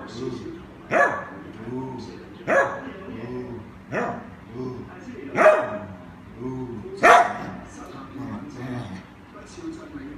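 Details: Dog seeking attention from its owner, giving a series of short, moaning, talk-like yelps roughly every one and a half seconds, each a brief harsh burst, with a low hum beneath.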